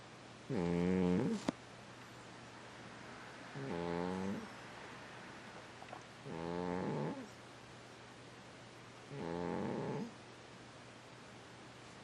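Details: Snoring cat, four slow rasping breaths spaced roughly three seconds apart, each a short harmonic-rich buzzy burst with a slight downward bend, over a faint constant low hum.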